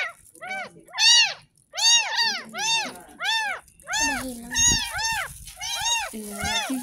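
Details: Tiny ten-day-old kitten rescued from a gutter cries steadily through its first bath, a rapid string of about a dozen arched meows, while a person talks and music plays in the second half.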